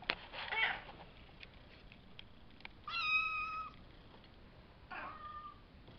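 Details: Two Savannah kittens about five weeks old, from a litter of three males and two females sired by Kendi X Gargoyle, recorded May 30th indoors: a scuffle of noise, then one long steady bright meow and a shorter following one.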